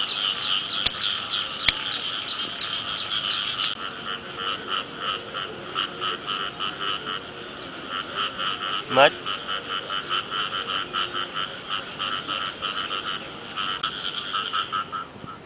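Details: Frogs call in a steady chorus of rapid, pulsed croaks while early-year rain falls.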